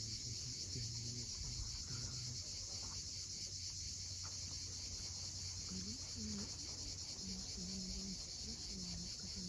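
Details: At sunset on Crimea's steep Cape Fiolent coast, cicadas keep up an unbroken, sizzling high-pitched drone, while surf rumbles below and brief low, flat notes sound now and then, clustered in the second half.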